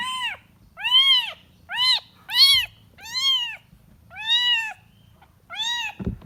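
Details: Kitten calling for its mother with seven loud, clear meows, each rising then falling. They are spaced about a second apart, and a soft thump follows at the end.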